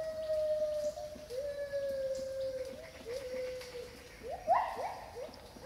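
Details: Wild gibbon couple in Khao Yai National Park rainforest, Thailand, recorded in spatial audio: long, slowly falling whistled notes held for over a second each, then breaking into quick upward-swooping whoops near the end.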